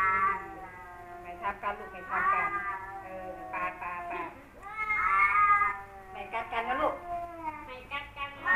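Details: Male cats Kaopat and Ronja, longtime rivals, caterwauling at each other: a continuous exchange of long, quavering, moaning yowls that swell and fade, with sharper strained bursts pushing higher in between.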